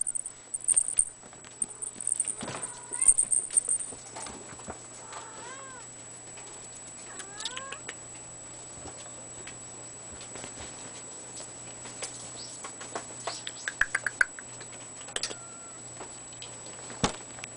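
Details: Seven-week-old red male Abyssinian kitten named Leo giving soft, short rising-falling meows, a few clustered near the start and more scattered later, over a quiet room with a steady faint hum and light handling noises.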